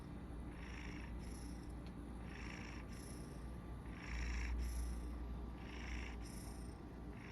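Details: A Maine Coon cat purrs throughout a nap in a low, steady rumble, with soft snoring breaths every second or so.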